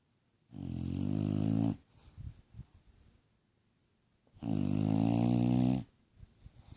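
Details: Two long, gravelly snores of just over a second each, roughly four seconds apart, from Lola, a sleepy bulldog, with faint snuffling breaths in the pauses.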